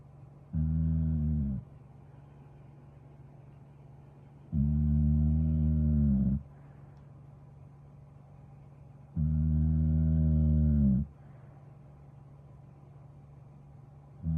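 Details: Pit bull mix of staffy type resting and relaxing, snoring in long, deep, droning breaths roughly every four to five seconds, each rumbling snore lasting one to two seconds, with a low steady hum underneath.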